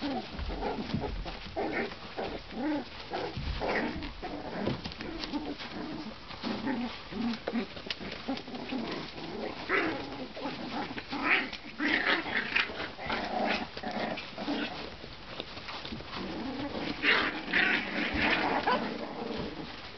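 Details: One-month-old Tibetan Terrier puppies from Poland, several voices overlapping in quick squeaks and soft whimpers, with busy, scuffling room noise throughout.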